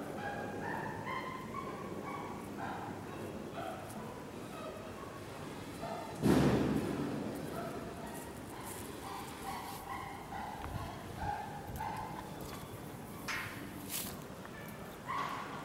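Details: Captive chimpanzee family of nine at Tama Zoo, Japan, in May 2019, including adult male Decky. Short harmonic calls repeat irregularly over a steady murmur, with a loud thump near the middle and rougher cries toward the end.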